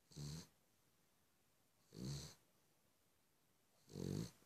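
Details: Cavalier King Charles Spaniel. A Cavalier King Charles Spaniel snores steadily. Each breath brings a low, throaty rumble with a breathy hiss on top, repeating roughly every two seconds in a quiet room.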